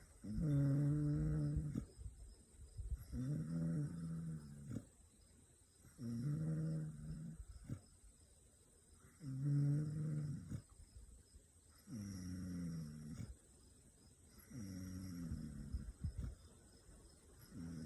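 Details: A 14-week-old Kangal puppy asleep in a room full of dogs, snoring in slow, deep, rumbling breaths, each lasting about two seconds with short quiet gaps, roughly twenty per minute.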